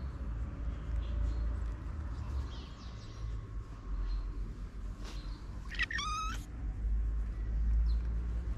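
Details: Stray cat on a Moroccan town street where many hungry homeless cats are fed daily: a single brief, rising-falling meow near the end, heard over steady low outdoor rumble and scattered noises.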